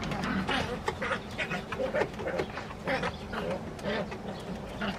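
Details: San'in Shiba puppies, including the high-spirited eldest female, play-fighting in a basement; a rapid string of short, rough growling yaps, roughly twice a second, over soft scuffling.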